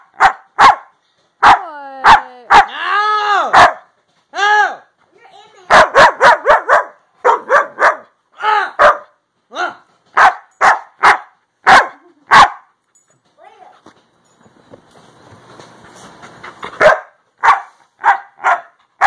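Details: Pet Siberian Husky talking to his owner; a long string of short barks mixed with drawn-out, wavering howl-like whines, pauses, and a stretch of quieter noise, with owner's voice briefly heard.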